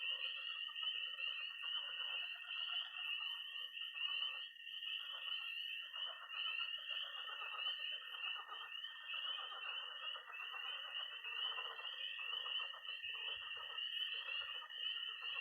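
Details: Night chorus of tree frogs, toads and pond frogs in early spring in MO: a dense, continuous high trilling band with layered peeping and rasping calls below, steady throughout without pause.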